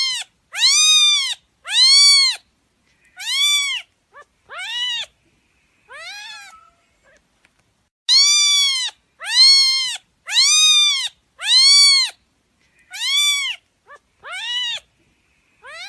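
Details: Kitten meowing, a string of clear, arched, rising-then-falling meows in two bursts of roughly six each, separated by a short quiet gap, with a few fainter, shorter mews in between.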